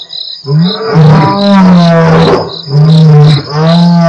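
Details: Deep, sustained roaring from two Mapogo Coalition lions at Nkorho on 12/11/07, captured by Africam's live stream, with powerful roars joined nearly without pause over a constant insect chorus.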